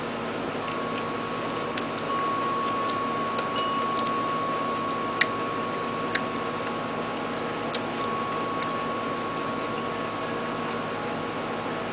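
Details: Only a steady indoor hum with a faint tone and a few soft clicks is heard. No animal voice stands out.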